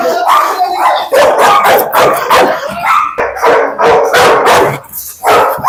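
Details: Dog goaded in a dog challenge as its aggression is shown off. Rapid harsh barks pulse steadily for several seconds under overlapping Malayalam voices.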